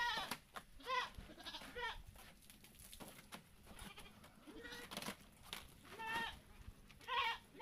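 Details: Goats bleating while being bathed to keep them healthy and fat; short wavering bleats recur every second or so among splashing and handling noises.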